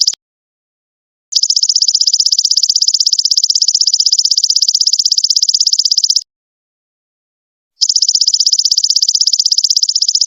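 A golden locust makes a steady, high, buzzy trill in long bursts broken by short silences.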